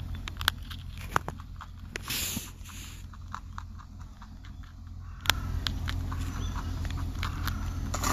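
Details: Rabbit eating on Okunoshima, Japan's Rabbit Island: a run of dry, crisp crunching clicks, irregular and quick, over a steady low background rumble.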